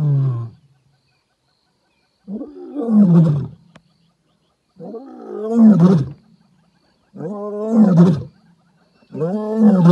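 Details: A female lion on a game drive in an African reserve roars out across the wild in a medium-pitched, gravelly voice: a deep grunt, then four long moaning calls spaced about two and a half seconds apart.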